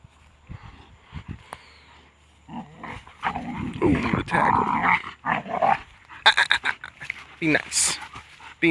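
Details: Kaiser and Belle, pet shepherds aged a year and a half and six months, play-fighting; a quiet start gives way to continuous rough, gravelly snarling and growling in overlapping bouts, mixed with an owner's calm voice.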